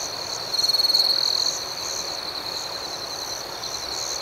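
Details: Crickets at night in a dense chorus: a steady high trill with faster rhythmic pulsing above it, and a brief louder, shimmering burst of chirps near the start.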